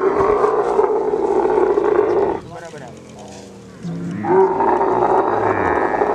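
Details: Kharai camel, the unique swimming camel breed of the coastal belt of Kutch district, Gujarat, during mating; loud droning, gurgling bellow with a strong steady tone, dropping to a quieter rumble midway, then resuming at full strength.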